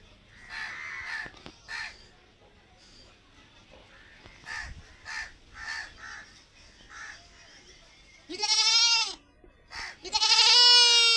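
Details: Tied white female goat in a village hut: two loud harsh bleats near the end, the last rising and sustained, after a stretch of softer calls from other animals nearby.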